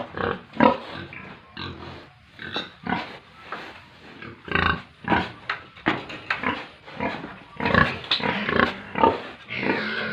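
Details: Pigs and piglets on a Tripura farm producing many short, harsh grunts and oinks, spaced irregularly about every half second, some louder squeal-like bursts near the end.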